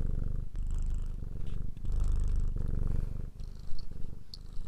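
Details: Domestic cat purring, a steady low rumble with fine rapid pulsing, broken by short gaps between breaths, with faint higher clicks near the end.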